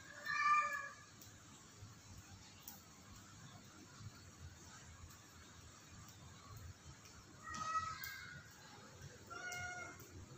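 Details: Cat on the roof of a house giving three separate harmonic meows, one near the start and two close together near the end, with long quiet gaps between them and a low steady background hum.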